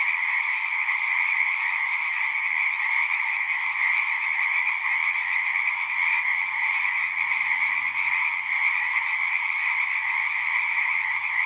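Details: Frogs singing at a pond in a horse pasture, a dense unbroken chorus of overlapping trills forming a steady bright band with a lower band beneath, continuous throughout with no pauses.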